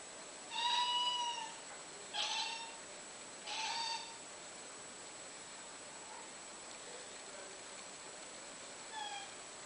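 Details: British Shorthair cat giving strange meows while watching and hunting flies: three short harmonic meows in the first four seconds, the first a level tone and the next two brief and noisy, then a faint fourth call near the end over steady background hiss.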